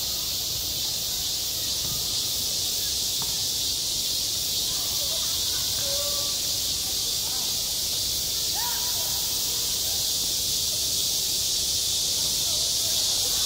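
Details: A summer school playground full of cicada song, an unbroken piercing buzz at high pitch, with scattered faint voices far off behind the chorus.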